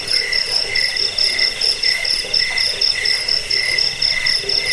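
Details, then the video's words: Crickets chirping, a recording meant to repel rats, soothe sleep and train songbirds. Shrill pulsed bursts come in short rhythmic trains, roughly two to three per second, over a softer continuous high buzz from other callers. "Suara jangkik pengusir tikus pengantar tidur"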